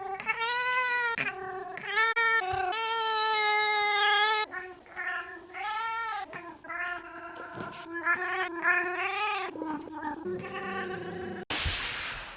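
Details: Pet cat meowing oddly while wanting to get petted: a run of long and short harmonic meows, some rising and falling, many back to back, roughly three or four a second at times, ending in a burst of noise.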